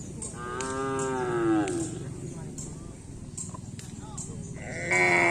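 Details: Cattle of the Anak Sakti karapan sapi bull-race team training at the Aseamanis field: one drawn-out, falling harmonic moo lasting under two seconds, then a steady murmur of background noise, clicks and a brief raised tone near the end.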